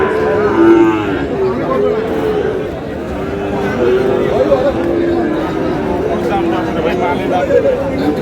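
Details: Sahiwal bull calves at the start of the Aftabganj cattle market in Dinajpur, 8 August: several short, low moos repeated through the clip amid bargaining voices and market chatter.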